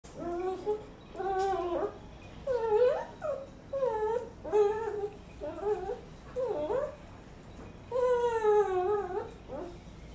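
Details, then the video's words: Toy poodle whining indoors in a small room: a series of high, wavering whimpers, each about half a second to a second long, rising and falling in pitch, repeated steadily with short gaps, ending in one longer drawn-out whine. "short toy poodle whinning"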